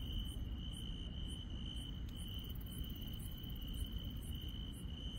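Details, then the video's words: Insects singing on a rural night: a level, high continuous trill is joined by a rapid series of sharper, higher chirps about twice a second, with one short click and a constant low rumble. "시골 밤의 정겨운 풀벌레 소리"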